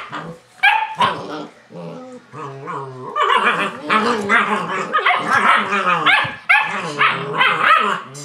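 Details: German Shepherd puppies tussling in play, giving a few deep growls at first, then a continuous, busy chorus of high yips, squeals and snarling barks from several pups at once.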